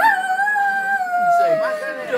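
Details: Dog in Lerici, Italy, howling at church bells: one long steady howl held level for over a second, then wavering and dipping at the end, with bright harmonics above.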